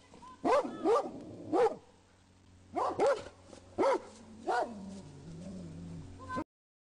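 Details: Rhodesian Ridgebacks in a public park alerting their owner to a man hiding among the trees, giving loud barks in short bursts of two or three, separated by pauses, with a lower drawn-out whine near the end.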